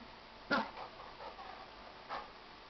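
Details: Dogs at play indoors, a Jack Russell Terrier puppy with a gentle 95-pound Chesapeake Bay Retriever: one sharp short yelp-like bark, then soft murmuring whines and a fainter second yelp near the end, in a quiet room.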